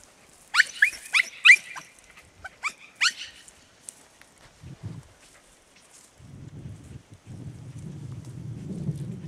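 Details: Podenco Andaluz dogs at Baños de la Encina, Jaén, Spain: a fast burst of sharp, high yelping barks in the first three seconds, then a few scattered quieter yelps over a low rumbling background.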